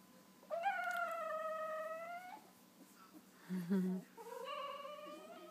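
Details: Two-week-old wolfdog puppies that have just opened their eyes, one giving a long, slightly rising, tonal whine lasting nearly two seconds, then a brief low grunt and a second rising whine; a woman speaks softly just before.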